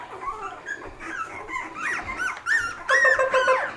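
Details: Three-week-old Havanese puppies in a litter, indoors. Thin, squeaky whines and rising yelps that grow louder and more insistent toward the end, with soft music behind.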